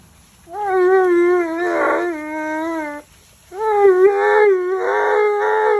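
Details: Bath time for Tonka, an Alaskan Malamute who hates being washed. He gives two long, sustained complaining howls, each about two and a half seconds, steady then wobbling in pitch, with a short silence between.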